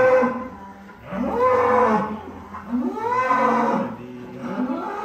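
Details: Big cattle on a farm give a series of low moos with rising then falling pitch, about one every one and a half seconds, loud and drawn out.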